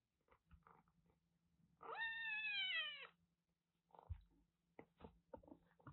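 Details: Rescued black-tortoiseshell kitten, found in a car's engine compartment in Kagoshima, Japan, and now kept indoors. It gives one drawn-out, harmonic meow lasting about a second, rising slightly then falling, surrounded by soft clicks, rustling and a low steady hum.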